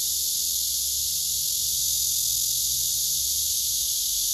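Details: Courtship song of a male blackish cicada directed at a nearby female who ignores him: a steady, intense, sizzling high buzz without pauses, over a quiet low hum.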